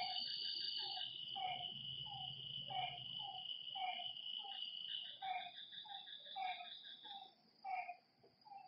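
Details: Frogs calling at night by a lake: brief falling notes about once a second, mixed with higher clipped chirps, over a loud steady insect trill that fades near the end.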